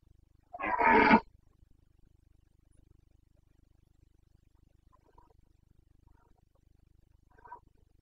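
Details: Carpathian red deer stag in Bucovina, Romania, roaring during the rut on 29 September 2022: one loud, hoarse, harmonic-rich bellow of about 0.7 seconds, followed by a few faint distant calls over a low steady hum.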